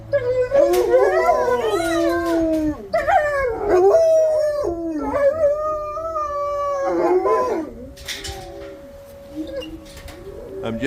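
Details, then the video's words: Two dogs in a kennel before feeding, howling in response to the monthly tornado siren test; overlapping long wavering howls, rising and falling, with some yips and breaks, continuing throughout with a steady siren-like tone underneath. "Dogs Howl at Tornado Siren"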